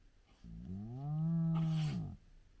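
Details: A single drawn-out low moan from a spotted hyena in a large clan at the den with active cubs at sunrise, swelling and steady for over a second before fading, with a brief breathy rush near its end.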